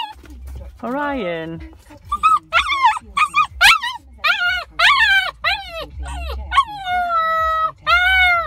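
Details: An 8-week-old Husky-Malamute puppy, newly with its family, howls for the first time for a child, giving short, wavering yips and whines that stretch into a longer, steady howl.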